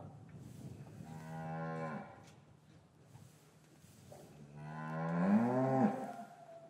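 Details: Two drawn-out, richly harmonic moos from cattle in an English yard one winter afternoon, calves separated from their mothers; the second call is louder, swelling and bending upward before dropping. Captured with paired Rode M5 microphones.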